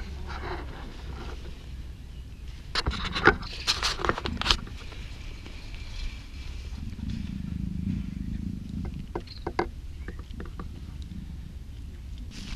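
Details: A female black African leopard named Luna, in her first heat at the Cheetah Experience breeding center, growls low and rough for about two seconds, framed by scraping, rustling and sharp clicks from movement around the enclosure.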